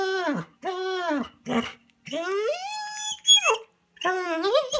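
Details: Bernese Mountain Dog Manda, indoors at a cabin and eager to join the walk, 'talks' in arching, harmonic aroo-like whines, one long rising wail sliding up and breaking into a squeak before more arcs follow.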